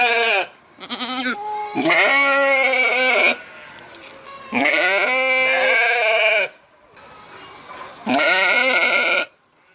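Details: A sheep bleats three times in long, trembling, nasal cries, each lasting one to two seconds, with a short, softer call near the start and low background noise in the pauses.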